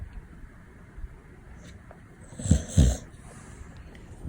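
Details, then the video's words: Female Labrador Retriever puppy, 264 days old and weighing 20.6 kg, snoring loudly while asleep at home indoors; two deep, rasping snorts close together mid-clip over quieter low breathing and faint background hiss. "Labrador Mimi's snore reverberates through the whole house"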